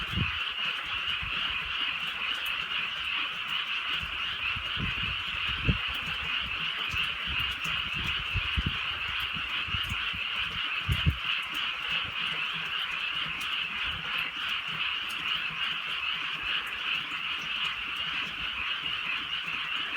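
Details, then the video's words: Frogs calling on a drizzly night in the countryside: a dense, unbroken chorus of high trilling croaks holds steady throughout, over soft rain patter and scattered low thumps. "개구리 소리"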